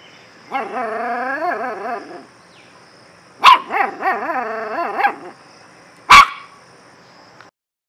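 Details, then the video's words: Long wavering, rising-and-falling whining growls from a dog dominate, broken by two sudden loud barks, one mid-way and one near the end. "DOG BARKING"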